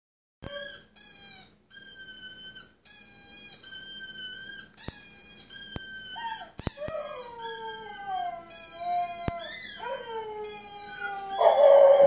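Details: Rescue Husky, a male estimated at three to five years old, howling for the first time since adoption two months earlier; a run of steady, clear tonal howls in short bursts, then longer wavering notes sliding down in pitch, ending in a louder rough cry.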